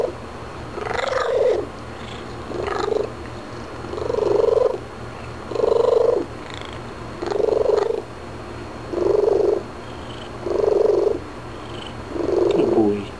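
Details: After eating treats, the house cat Graybeard keeps up a run of eight brief rolling, mid-pitched trill-like calls, evenly repeated about every one and a half seconds with quiet breaks between.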